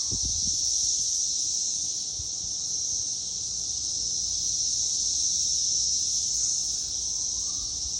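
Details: Cicadas sing a steady, high-pitched electric buzz that barely wavers in strength, recorded in 2021.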